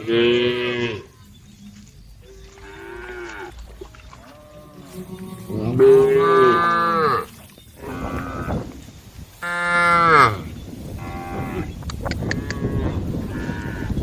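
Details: Several tame female cows call the herd, their moos overlapping and following one another at differing pitches. Two long, loud bellows stand out midway, with quieter lowing and brief clicks between.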